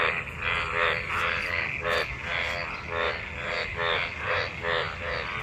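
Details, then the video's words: Frogs mating in monsoon rainwater fill the air with loud, buzzy, pulsed croaks, each lasting a fraction of a second and repeated rapidly by many overlapping callers. "Frog mating,Frog Sounds after monsoon rain,Sounds of toad Croak croak ! frog mating and love in rain"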